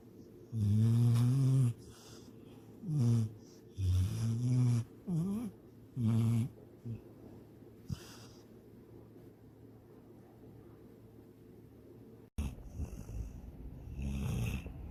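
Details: Sydney, a pet dog asleep and dreaming of chasing a rabbit and swimming in a lake, gives five low, throaty, voiced snorts in the first seven seconds, then falls quiet before a burst of rustling noise near the end.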